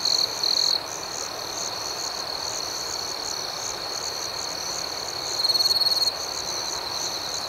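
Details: A nocturnal cricket chorus rings steadily at a high pitch with rapid pulses; a nearer cricket adds a louder trill at the start and again for under a second toward the end.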